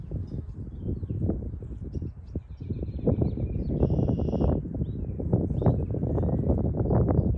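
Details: Western honey bees (Apis mellifera) warm in the spring sun at a hive in early 2023 at an Ohio State University bee lab, foragers returning with maple nectar and pollen. A dense low buzz with rapid, irregular thumps, and faint high bird notes.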